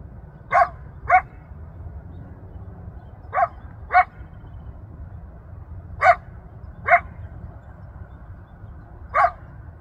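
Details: Coyote yelping for family and friends in open space at Rancho Sierra Vista, Newbury Park, heard from a mile off; short bright yips come mostly in pairs, about eight over ten seconds, with low wind-like hum beneath.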